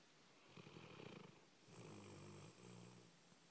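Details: Red, a dog, snoring after a busy day at doggie day care: low rumbling breaths with a raspy inhale, then a longer droning, nasal exhale holding a steady tone, in a quiet indoor room.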